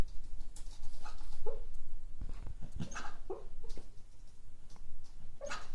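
A cocker spaniel dreaming gives soft, muffled whimpers and little stifled woofs in its sleep.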